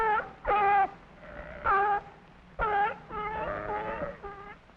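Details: A sea lion at the Bronx Zoo gives loud, tonal, wavering barks in short bursts, roughly one each second.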